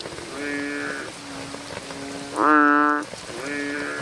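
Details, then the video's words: American bullfrogs calling at night: drawn-out nasal, harmonic-rich calls about half a second long from several overlapping frogs, one louder bleating call in the middle, over a steady background hum. "frog sounds activity at night - bullfrogs sound"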